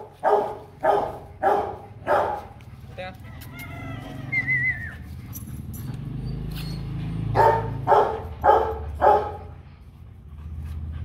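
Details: Fifteen-month-old Rottweiler Kute Gervi barks in two bursts of four rough, evenly spaced woofs, separated by a lull filled with low rumbling background noise and a brief high squeak.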